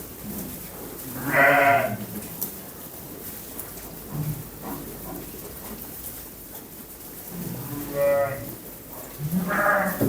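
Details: Young sheep giving three harmonic, quavering bleats, one early and two close together near the end, over a low murmur of background noise.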